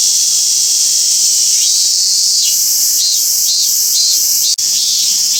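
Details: Robust cicada singing at Toyanogata park in Japan, its steady high-pitched buzz shifting into regular pulsing phrases roughly every half second, with a brief dropout near the end.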